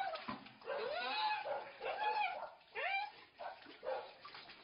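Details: A dog that plunged down a well howls while rescuers haul it up on a rope. Several bending, wavering wails come in bursts amid splashing water and excited Thai voices.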